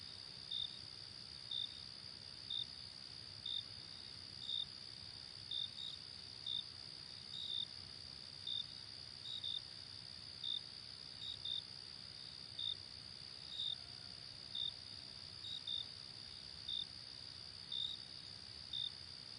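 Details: Crickets in a nature ambience recording: a steady high trill hums continuously beneath short bright chirps repeated about once a second, with faint low background rumble.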